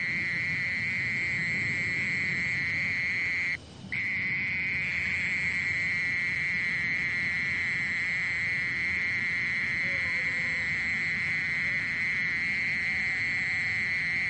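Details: Mole cricket song as a persistent, even buzzing trill at one high pitch, briefly cut off near the four-second mark before resuming unchanged.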